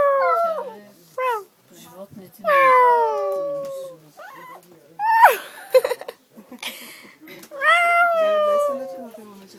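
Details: Dog singing on a train, giving three drawn-out howls that each start high and glide down in pitch, separated by pauses filled with people chatting nearby.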